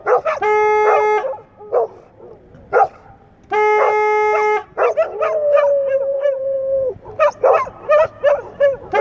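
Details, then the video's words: Several English Setters howl and yip in chorus: steady held notes with rich harmonics alternate with choppy barks, and a level wavering howl runs through the middle. "English Setters sing the Song of Their People"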